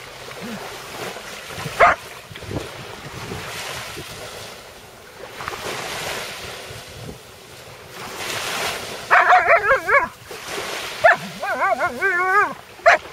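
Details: Alaskan Malamute at the sea shore after finding a sea robin fish; a brief yelp, then wavering, yodel-like whining bursts in quick series near the end, over steady surf and wind noise.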